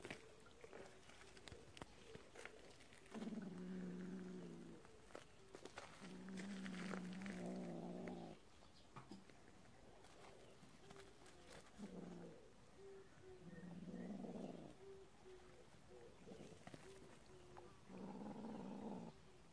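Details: Cat family living in a warehouse, a kitten playing with a mole the mother cat had hunted; five low, drawn-out harmonic growling calls of one to two seconds each, separated by short pauses, with scuffling noises between.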